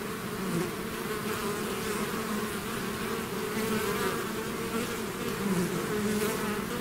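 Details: Bees swarming outside their hive: a thick continuous buzz, many overlapping wing tones wavering in pitch, even in volume throughout.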